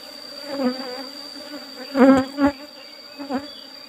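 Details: Asian honey bees (Apis cerana) during a honey harvest from an old-style hive box covered only with a used asbestos sheet. A low, steady humming buzz swells into several louder surges, under a constant thin high tone.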